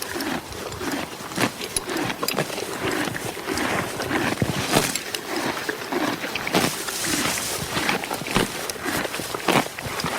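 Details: Horse grazing on grass: continuous crunchy munching with scattered louder snaps of torn stems, uneven in rhythm, plus soft background rustle and hiss.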